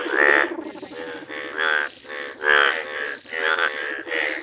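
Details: Yellow Indian bullfrog in a village setting, giving rich buzzy croaks in short bursts, some louder and ringing, spaced irregularly with brief pauses between them.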